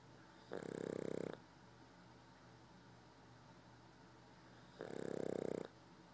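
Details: A sleeping Boston Terrier snores in two long, rasping breaths about four seconds apart.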